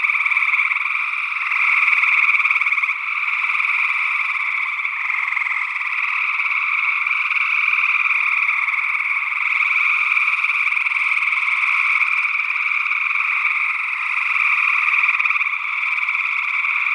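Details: Gray tree frogs calling in Northwest Wisconsin in early June 2022, captured with a matched pair of SE Electronics sE8 condensers in ORTF: a dense, unbroken wall of overlapping trills that holds steady throughout, with no other sounds.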